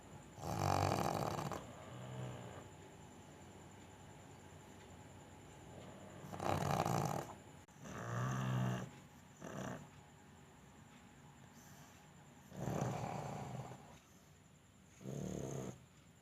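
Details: A pug snoring indoors. Rough, breathy snores come at irregular intervals, some long and some short, over a steady background hiss.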